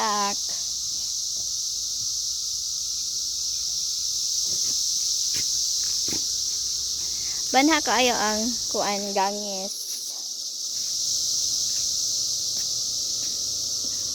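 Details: Cicadas during their 2021 emergence: a dense, even, shrill hum runs unbroken from start to end, while a person speaks briefly midway and a few soft taps are heard.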